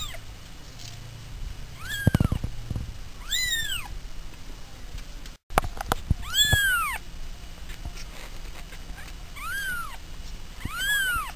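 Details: Several short, arched meows from pet cats, some doubled, with bright overtones, coming in clusters a few seconds apart, with brief knocks and handling noise between calls.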